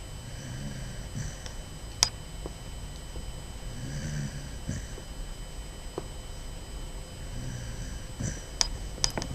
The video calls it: Basset Hound puppy snoring